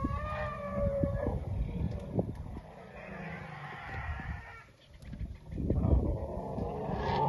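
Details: Elephants running about give low, droning calls, with a brief trumpet-like note at the start and a rising cry near the end, over deep rumbling, thuds and scuffing from the moving animals.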